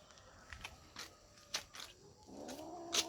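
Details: Kitten growling: a faint, low, rough harmonic growl rises and holds near the end, after scattered soft clicks and rustles in a quiet room.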